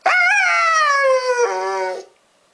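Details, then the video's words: Siberian husky, one year and three months old, howling at being called husky, a word he hates: one sustained harmonic howl rising briefly then easing downward for nearly two seconds, ending in a lower, more nasal tone. "He is 1 year and 3 months old and he hates the word HUSKY."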